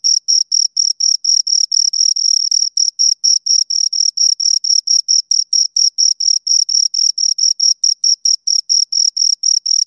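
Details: Two crickets stridulating in rapid, slightly uneven succession, the high pure chirps sometimes overlapping as both insects call; a thin overtone rides above the main tone. Background otherwise silent.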